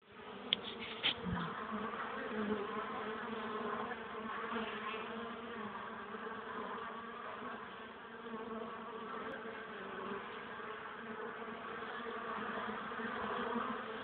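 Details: Honey bees at the hive carrying pollen on 21 April, 2013, at 1 pm, sunny but only 12 degrees with a cold wind hampering landings; a dense, steady buzzing hum with a low droning undertone and a few brief knocks early on.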